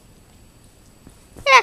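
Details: An 11-week-old German Shorthaired Pointer puppy, Axel, playing wildly on a sofa in an office, gives one short, sharp, high-pitched yelp with bright harmonics after a stretch of faint room noise.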